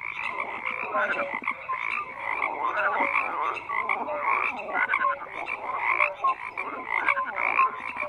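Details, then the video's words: Many frogs croak at once in a steady chorus, buzzy pulsed calls overlapping with brief tonal chirps, continuous with gentle rises and dips in loudness. "FROGS CROAKING"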